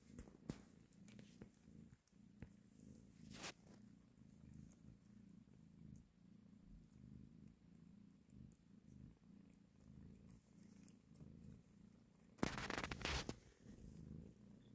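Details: Mother cat breastfeeding and caressing her kittens, purring in a rapid, steady low throb across the whole recording; sharp rustling bursts near the start and a loud scrape of movement late on.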